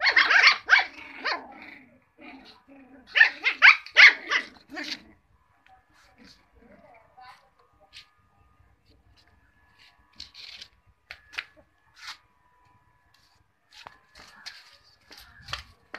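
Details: Cocker Spaniel puppies yapping in quick, high-pitched bursts of barks for about five seconds, followed by quieter scattered yips and small clicking sounds.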